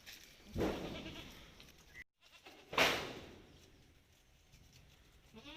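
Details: Malabari goats on a farm, taken outside for the day. Two loud bleats, one near the start and one about two seconds later, each short and harsh with broad noisy tone, over quiet background.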